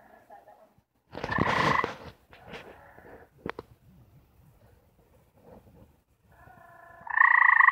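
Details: Gray treefrogs, four kept together and trying to mate, giving mating calls: a loud pulsed trill near the start, softer overlapping trills in the middle, and a strong trill building at the end, with clicks and knocks between.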